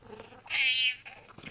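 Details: House cat arguing with its owner over a chair answers with a single drawn-out, high, bright meow that swells and fades over about half a second, set against soft indoor room noise.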